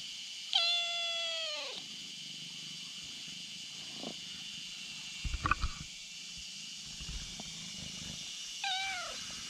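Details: Kitten lying on a bridge calling over a black cat behind it: a loud, drawn-out harmonic meow falling slightly in pitch, a brief later call, soft rustling and steady insect-like hiss in the background.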